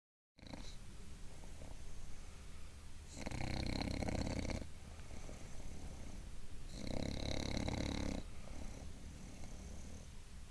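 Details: Bulldog named Gilbert asleep while sitting up, snoring in long rough rasping breaths, loud pulses around four and seven seconds separated by quieter wheezy inhalations indoors.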